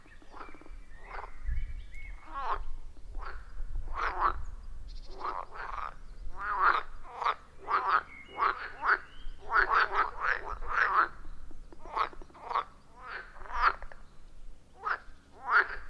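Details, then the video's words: A loud chorus of frogs at a wild forest pond, recorded on an iPhone 14 Pro with a Shure MV88+: dense, rhythmic croaks overlapping in quick succession, several callers at once, with a low rumble near the start. "30 Minutes of Frog Sounds at a Forest Pond"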